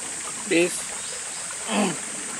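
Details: Golden Retrievers Kohaku and Bisu stopping at their usual spot above a river, asking permission to go down and play in the water; two short, tonal, whine-like vocalizations about a second apart over a constant rushing stream.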